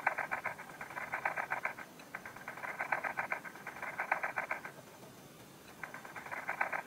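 A ladybird's courtship sound: rapid dry scratchy clicks in bursts, pausing and resuming.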